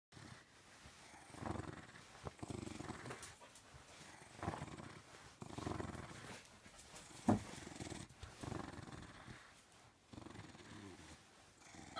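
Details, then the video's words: Corgi, described as vicious, giving low rough growls in repeated bursts of one to two seconds separated by short pauses, with a few breathy exhalations between them and otherwise quiet surroundings. "Vicious Corgi"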